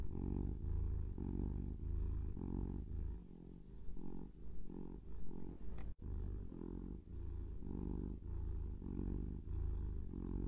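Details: Purring pet kitten: deep continuous rumbling in rhythmic breathing pulses, briefly softer midway with a short click near six seconds.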